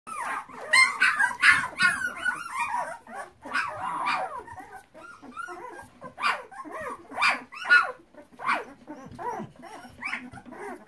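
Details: Flat-coated Retriever puppies in a whelping box: many overlapping high whines and squeaky yelps, rising and falling, with a few short bark-like notes, dense chorus from several pups.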